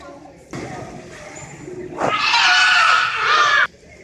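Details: Belugas held at SeaWorld Orlando's Wild Arctic exhibit give a rough, broad cry that turns into a loud, wavering whistle lasting over a second, heard over indoor echo and background voices.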